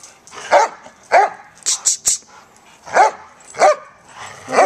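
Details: Play barking from Joy, a senior German Shepherd, and Riley, a year-old Pit Bull pup, both up for adoption with Coastal German Shepherd Rescue OC; sharp, harsh barks come in uneven bursts roughly every half second, with brief clicking sounds between.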